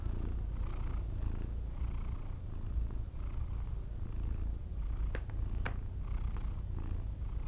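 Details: Persian cat snoring while asleep. A continuous deep purring rumble underlies airy exhalation bursts that recur about every one to two seconds, with a few faint clicks.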